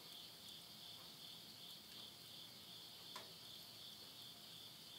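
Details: Late-summer insect chorus at midnight near Yurihama, Tottori, Japan, September 2020: an unbroken high-pitched ringing trill, with a single sharp crackle from wood burning in a stove.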